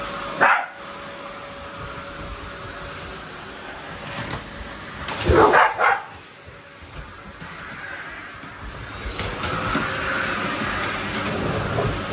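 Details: Labrador Retriever kept as a pet, worked up by a vacuum cleaner during play with a Shiba Inu, barks once, then a short cluster of harsh barks, while the vacuum drones loudly throughout.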